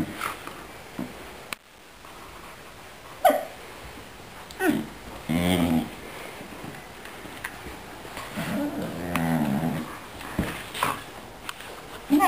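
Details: Growling and yodel-like "talking" as a female Akita play-fights with a Finnish Lapphund over a ball. Most of the noises come from the Lapphund, but the Akita copies his growling this once.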